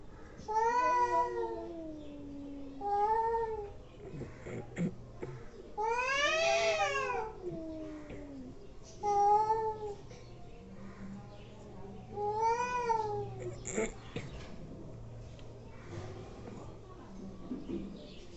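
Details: Angry domestic cats making weird noises: a series of bent, harmonic yowls and one harsh screeching cry, spaced a few seconds apart, followed by a low steady hum and soft background sounds.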